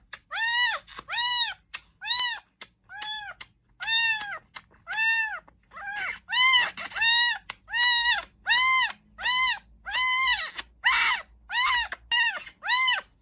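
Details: Repeated arched meows from a domestic cat late at night, roughly fifteen calls in steady rhythm, about one per second, growing harsher toward the end, with faint background voices.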